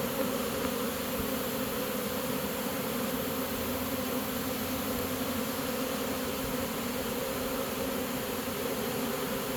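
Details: Caught honey bee swarm entering its new home: constant thick humming drone from many bees, level and unbroken for the whole stretch.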